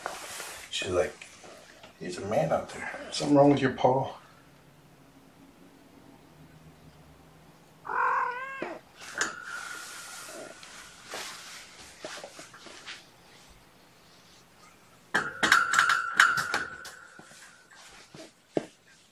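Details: Sleepy foster kittens waking gently from a nap indoors on weigh-in night give short tonal meows, one wavering call midway and a longer sustained one near the end, between stretches of human speech and quiet room noise.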